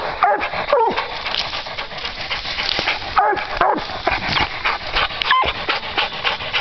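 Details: Hunting dogs Duke and JR at a tree where they have treed a raccoon during a coon hunt; a few scattered sharp barks rise and fall among heavy panting and rustling, with a man's voice praising them.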